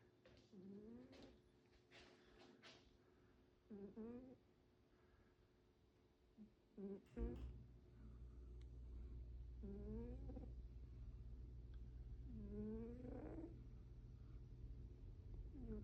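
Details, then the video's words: A tired cat snoring while asleep: short, squeaky, rising whistles on each breath, spaced about two to three seconds apart, over a steady low hum that sets in about halfway through. "Cat snoring!"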